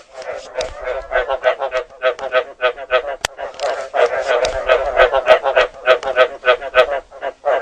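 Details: Frog calling in a steady run of harsh, nasal croaks, roughly three per second, with a mid-pitched buzzy tone and rich overtones; a second voice seems to overlap in the middle, and a brief click is heard.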